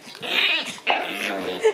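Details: A Shiba Inu making a fussy, noisy grumble: two short harmonic, whining-growly bursts with wavering pitch, separated by a brief pause, ending in a small squeak.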